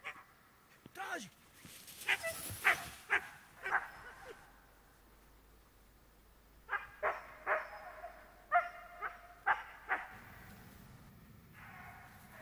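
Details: Border Collie barking in search and rescue training outdoors, two bursts of rapid, repeated sharp barks, about five in each, split by a quieter pause, with a person's voice at times.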